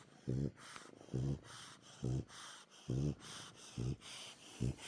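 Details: Sleeping dog snoring as a cat purrs at the same time; deep, throaty pulsed snores, six of them, each with a brief breathy gap between, at a regular rhythm of roughly seventy per minute.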